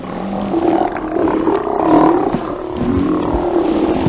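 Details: Steller sea lion haulout on 24 September 2018, heard via a live cam: a dense, low murmur of overlapping growls and grumbling roars, several animals calling continuously at moderate loudness.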